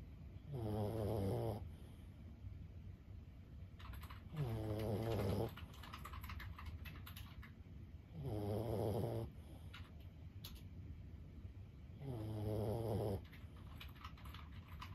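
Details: Lulu, a senior Boston Terrier aged 15, sleeps and snores in four regular, rumbling, nasal breaths about every four seconds; faint keyboard-like clicks fill the quiet gaps.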